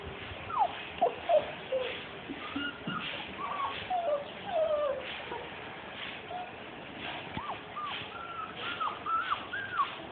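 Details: Young Labrador retriever puppies at 42 days, whimpering softly at a distance, scattered short squeaky rising and falling cries over steady background noise.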